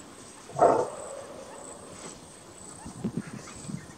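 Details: A greater kudu in Kruger National Park gives its single loud, hoarse alarm bark, followed by a few faint, low sounds.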